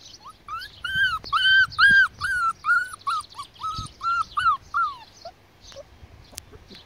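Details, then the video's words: Border Collie puppies, four and six weeks old, whine in a quick series of about ten arched, nasal notes, each about half a second long. The notes follow one another rapidly, then fade into softer whimpers and a few clicks. "Border collie puppies"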